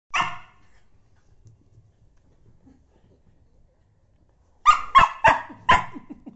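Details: Pet dog barking after having its tail blown on: one sharp bark, a quiet pause of several seconds, then a quick burst of four loud, ragged barks close together.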